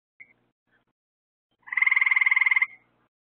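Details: Frog calling at night beside lights set out to attract bugs for the frogs: a single loud pulsed trill lasting about one second, rapid even clicks stacked in two bands, preceded by a brief faint chirp.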